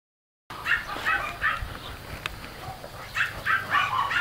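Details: Mastiff puppies at play give a run of short, high yips and squeaky barks, clustered in quick bursts after a brief silent start, with a pause in the middle before the yapping picks up again.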